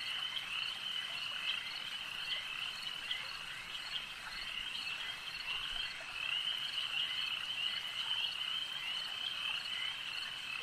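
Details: Lakeside frog chorus, an unbroken wall of high trilled croaks from many callers, swelling slightly in loudness toward the end, with faint insect-like buzzing beneath.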